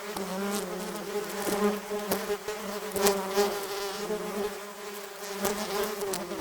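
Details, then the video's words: A swarm of angry wasps flying around their nest gives a wavering, throbbing buzz whose low hum rises and dips every second or so. Scattered sharp clicks accompany it. "Wasps Sound Effect - Hypnotic Wasp Buzzing Noise"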